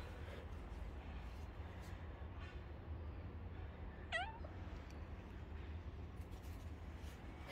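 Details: A domestic cat gives a single short meow a little past the four-second mark, a quick rising-then-falling cry with bright overtones, set against a steady low hum and otherwise quiet indoor background.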